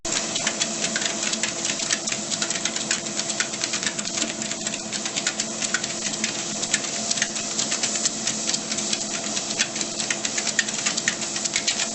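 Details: Fast, continuous mechanical rattling like a sewing machine, with a steady hum underneath.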